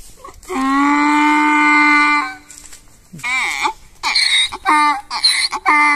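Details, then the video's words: Domestic donkey braying: a long, steady, low harmonic tone, then a brief squeal and a run of short alternating high and low hee-haw notes. "Donkey braying"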